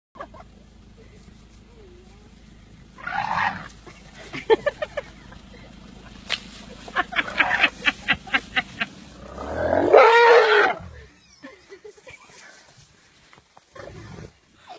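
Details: A baby elephant in a wild family group on safari having a tantrum: a brief harsh squeal, then a louder, strained, rising-and-falling squealing bellow, among rapid thuds and knocks and some human voices.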